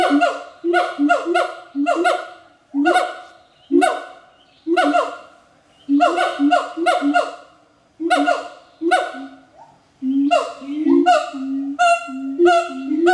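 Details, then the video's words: Captive pair of siamang gibbons duetting at a primate center in Jakarta, Indonesia, late morning in April: loud, rapid barking hoots with harmonic, falling notes, fast bursts repeating and accelerating in a continuous chorus. "Siamang Gibbon (Symphalangus syndactylus) Duet Song"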